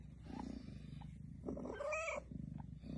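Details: Cat giving birth, attended as by a midwife: steady low purring throughout, broken near the middle by a short rising, tonal meow; a woman's voice speaks nearby.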